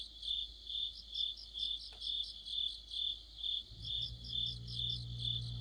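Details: Autumn cricket song near a streetlamp, part of an insect orchestra: rhythmic high-pitched chirps repeating roughly twice a second, with a low hum starting midway and a brief click.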